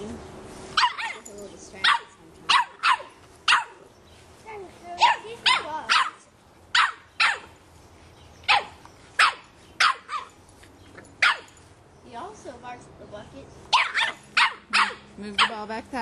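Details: Boston Terrier puppy, three and a half months old, barking at a soccer ball as people kick it around; a long run of about eighteen sharp, high, loud barks in irregular bursts, with people talking between them.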